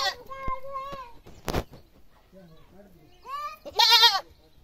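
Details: A village goat gives loud, high, harsh bleating screams, with a sharp knock and faint voices between cries.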